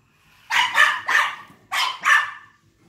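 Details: Maltese dog barking while chasing a remote-control cop car: five sharp, high yapping barks in two quick bursts, three then two, with near silence around them.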